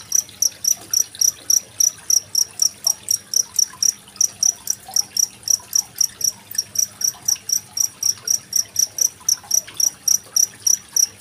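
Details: Cricket chirping beside running water in Indonesia, 25 February 2023, meant as tutor sound for competition songbirds such as magpie-robins; bright, piercing pulses come at about four per second against a quiet trickling background.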